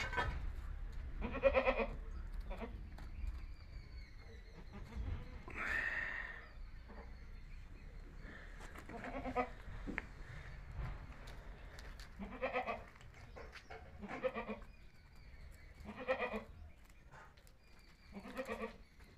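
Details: Young Himachali goat kids from Himachal giving repeated short, nasal bleats every two to three seconds against a low background rumble.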